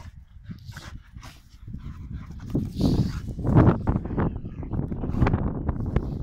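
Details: Pit Bulls play fighting; deep growling rumbles rise in intensity midway, with short huffing bursts near three and four seconds and scuffling throughout.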